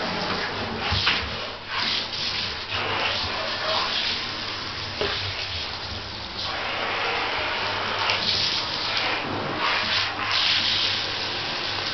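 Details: Rubbing, scraping and splashing noises fill a small room, with no animal voice heard. A faint steady hum runs underneath.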